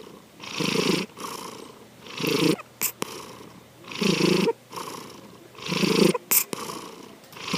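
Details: Asleep pet cat Sankichi, snoring with regular rough breaths every second and a half, broken twice by brief high thin squeaky sounds between breaths.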